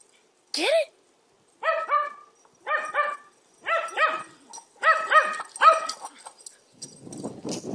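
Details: A Corgi herding a basketball gives high, yappy barks in quick clusters of two or three.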